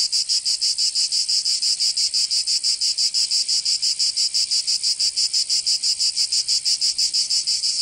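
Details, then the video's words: Provençal cicadas in summer, southern France: strident high buzzing beating in very regular fast pulses, about three per second, unbroken and unaccompanied. "Canto Cigarra 🦗 [ Escuchar les cigarras en verano 10 H]"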